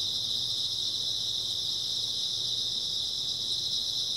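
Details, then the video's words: Early autumn night chorus of grass insects. The chirping is continuous, dense and high-pitched, a steady shimmering wall of sound with no other callers, over a faint low hum. "초가을 밤부터 새벽까지 백색소음 풀벌레 소리"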